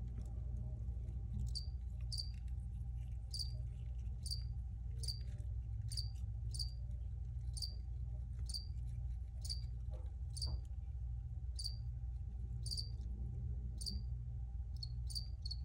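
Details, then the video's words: Crickets chirping in brief sharp high-pitched pulses spaced about half a second to a second apart, loosely regular, set against a constant low droning hum. "Free Cricket Sounds for Re-Use or Relaxation"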